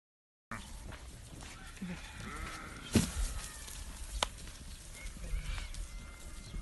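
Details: Alarday goats from Saudi Arabia kept as livestock, giving faint, wavering harmonic bleats that rise and fall over a steady rustling background, with a couple of sharp knocks and clatters in between.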